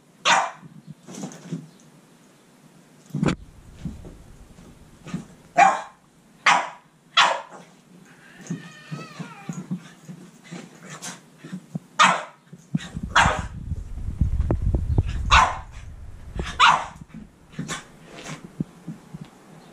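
A Boston Terrier directs a series of short, sharp barks at a cat, spaced roughly a second apart. A brief whining, wavering sound comes midway, and a low rumbling noise sits under the later barks.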